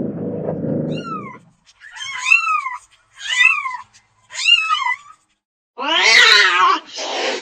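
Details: Domestic cat during play and lazing: a low rumbling noise at first, then four clear, arched, high-pitched meows that rise and fall, ending in a harsh, strained yowl.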